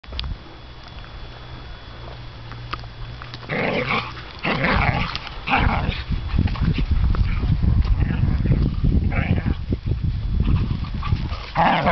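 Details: Two whippets, Gareth and Nacho, fighting: quiet low rumbling at first, then from about three seconds rough growls and snarling bursts come thick and fast over scuffling, with a brief human laugh.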